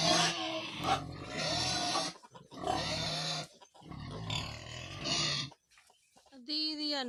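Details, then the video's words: Piglets squeal in loud, harsh bursts of one to two seconds, separated by short pauses, ending with a higher, wavering tonal squeal; voices are faintly mixed in. "ဝက်ပေါက် ချောချောလေးတွေ"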